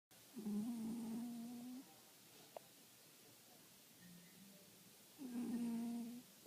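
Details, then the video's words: Small pet cat asleep and snoring indoors: two long, low droning snores with faint buzzy overtones, each about one and a half seconds, separated by a quiet pause of about three seconds. "My little cat Princess snoring"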